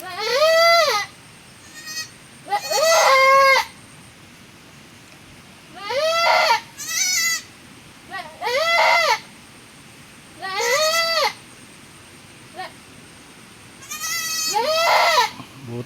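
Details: Goat after giving birth again in the rainy season, bleating repeatedly: about eight wavering, quavering bleats, each roughly a second long, spaced every one to two seconds, with a few faint short calls between.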